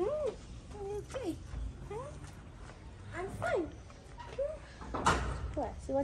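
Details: Friendly tabby cat in Morocco, among street cats fed every day, giving a quick string of short arched meows, each rising then falling, about every half second, while a man talks softly to it, with a sharp knock midway.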